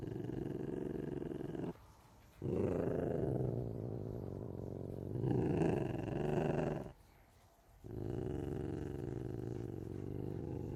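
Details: Ocelot giving a long, low, rough rumbling growl, sustained in stretches of several seconds and broken by two brief pauses.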